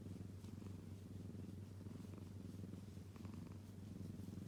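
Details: Close, unbroken purr from a kitten: a low vibrating hum that pulses gently in and out with each breath.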